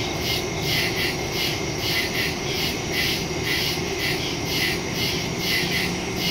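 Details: Crickets in the woods at night, recorded on September 2 with a phone and stereo microphone; a steady pulsing high chirping chorus, throbbing several times a second, over a low constant hum.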